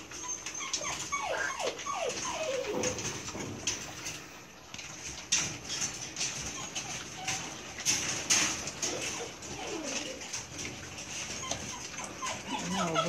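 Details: Several Belgian Malinois puppies whimper during milk feeding time, with short descending whines in bursts near the start and again near the end. Scraping, clattering bowl and feeding noises run throughout.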